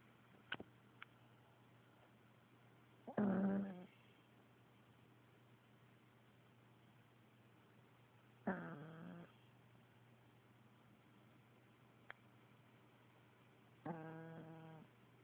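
A Pekingese snores in slow, rasping, rattling breaths, each lasting under a second, about every five seconds.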